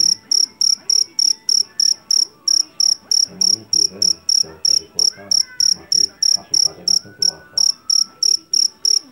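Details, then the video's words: Field cricket known as jangkrik Jawa, caught in a sawah, giving loud ringing chirps in regular rapid succession, about three each second, while faint indistinct background sounds drift beneath. "SUARA JANGKRIK PENGUSIR TIKUS SUARA ASLI"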